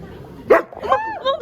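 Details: A single sharp, loud bark from one of twelve Samoyeds gathered in an indoor dog cafe in Hongdae, Seoul, in winter, followed by women's voices talking and laughing.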